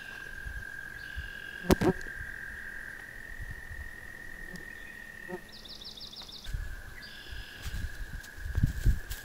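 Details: In spring, an American toad gives a long, steady, high musical trill, breaks off briefly, then resumes; a red-winged blackbird's buzzy call and some handling noise are also heard.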